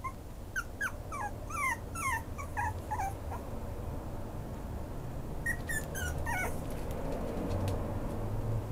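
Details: Maltese x Pomeranian cross puppy giving quick bursts of thin, high whimpering yips, several short squeaks in a row, then a pause and a second shorter burst over a quiet, low background hum.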